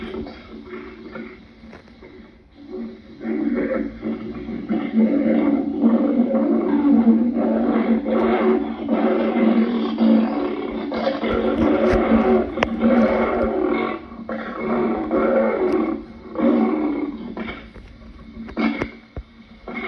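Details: Lion giving a long, rough, throaty roaring and growling, near continuous and pulsing in waves. It rises in strength after a few quiet seconds and stays loud through the middle, with a few sharp clicks around the midpoint and a brief lull near the end.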